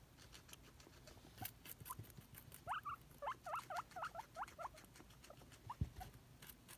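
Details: A pet guinea pig wheeks excitedly while hoping for a celery treat, giving a run of short rising squeaks in quick succession, about eight in two seconds, over crunchy chewing and rustling from two guinea pigs eating.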